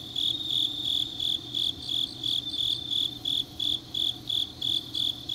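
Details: On an autumn night in Changnyeong, South Gyeongsang Province, South Korea, grass insects give bright, regular chirps near three per second, a second insect adding quicker bursts midway, over quiet low background noise.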